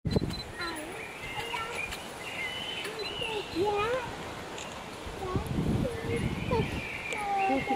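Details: Bush dogs at Chester Zoo, UK, give a run of short, high squeaks and whistled whines, with people talking nearby.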